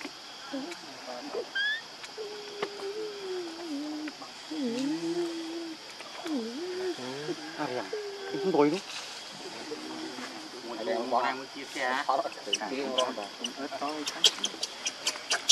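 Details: Baby monkey named Lucie, hungry and crying for milk that its mother will not give; wavering, whimpering calls that rise and fall, in short bursts then a rapid broken series, with a thin steady hiss behind.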